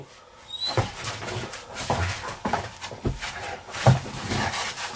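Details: Pet dog indoors, wanting to be let out and waking its owner; about five short, rough broadband barks and whines spaced roughly every half to one second in a small room.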